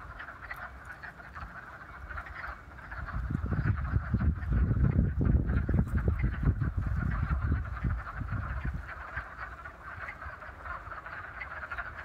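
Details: A chorus of wood frogs in a vernal pond at Raccoon Wildflower Reserve, Beaver County, western Pennsylvania, on 28 February 2018, gives rapid, duck-like clucking quacks that overlap into a steady chatter.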